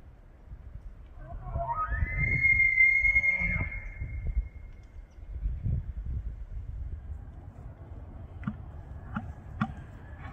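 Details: Rutting bull elk in Banff, Alberta, in September bugles to draw females and warn rival bulls: a rising glide into a high sustained whistle, then low rumbling and a few sharp, clicking chuckle-like pulses.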